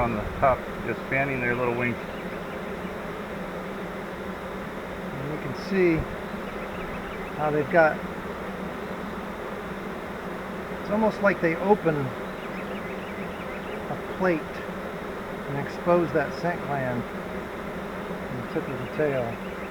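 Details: A swarm of honey bees in a flowerpot swarm trap gives a constant low, busy hum, repeatedly interrupted by short snatches of people talking.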